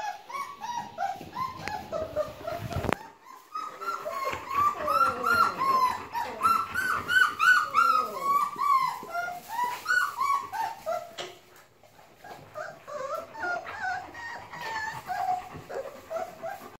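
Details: Several three-week-old Bernese Mountain Dog puppies whine loudly and continuously, high arching cries overlapping one another, with a sharp knock near the start and a brief quieter pause before the crying resumes.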